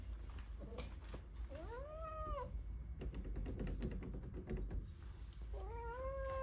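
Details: Wanting to go outside, Blue the Persian cat gives an arching, rising-then-falling meow, then a later level meow, with soft knocking and tapping sounds between them.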